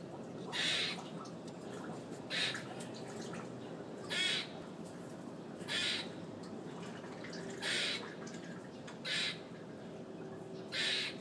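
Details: A very loud squirrel on a fire escape gives harsh, noisy squawking bursts, each short and bright. They come roughly every one to two seconds, seven in all, over a steady low hum.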